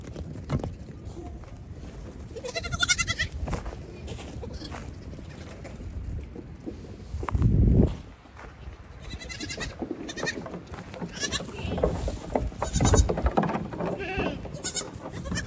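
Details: Goat kids in the evening, running back and forth and hopping on everything while their mothers eat grain. Several short harmonic bleats rise over constant hoof thumps and rustling, with one loud thud mid-way.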